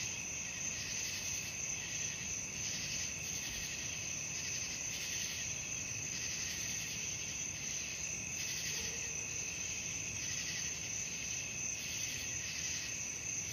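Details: Night crickets for relaxation and sleep: a steady, dense high-pitched trilling chorus with a rhythmic pulsing swell, unbroken throughout, over a soft low hiss.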